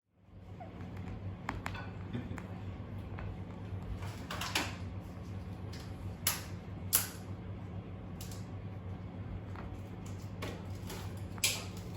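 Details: Quiet indoor room noise with a low steady hum, scattered clicks, creaks and knocks like cupboard or door handling, and no animal sound.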